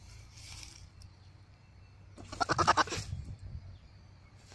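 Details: Goat giving a mating call: a single loud, trembling bleat of rapid pulses lasting under a second, rough and nasal, after a quiet stretch with faint low rumble and brief high hiss.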